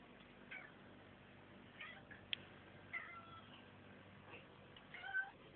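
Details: A pet female Siberian cat gives a few soft, faint meows, short wavering calls spread across about five seconds over a quiet background hiss.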